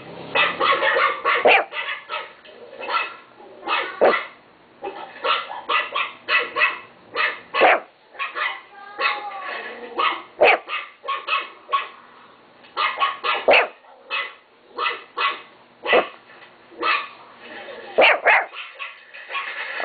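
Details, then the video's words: Pet Chihuahua barking in rapid, high yappy bursts, sharp broadband barks repeated roughly every half second with short pauses between runs across the whole recording. "My chihuahua Timo bark"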